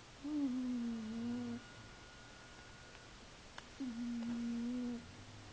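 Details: A sleeping cat snoring indoors: two steady, low whistled breaths, each about a second and a half long, separated by a quiet pause of roughly two seconds, over a faint room hum.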